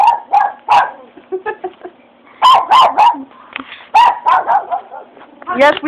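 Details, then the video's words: Stirred up after fireworks, a Japanese Chin lets out quick clusters of yappy, ringing barks in fast runs, while a person chatters over the noise. "Japanese Chin Reaction after Hearing Fireworks"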